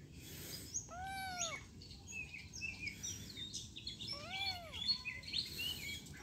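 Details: Two drawn-out, arching kitten meows a few seconds apart, quiet against a background of high bird chirps and twitters.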